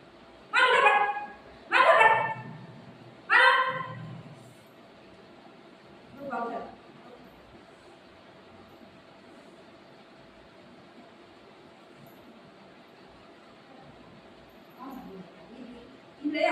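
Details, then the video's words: Golden retriever and shih tzu puppy, Buzo and Milo, in a play fight indoors; three sharp, harmonic barks about a second apart open the stretch, then a softer bark and a long quiet with faint room noise and murmuring. "golden retriever dog and shih tzu puppy fighting video"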